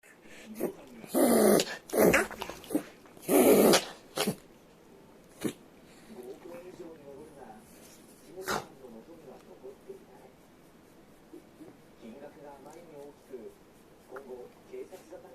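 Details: A Shiba Inu reverse sneezes with loud, harsh snorting gasps, then quieter grunting, honking breaths; the owner says it happens sometimes with temperature changes, cause unclear, and a vet said it's fine once settled.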